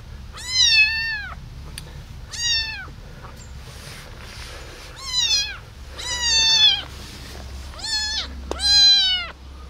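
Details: Abandoned baby kitten rescued from a box left on a street, crying loudly: six high, strained meows with rich harmonics, each about half a second to a second long, spaced one to two seconds apart over a low background hum.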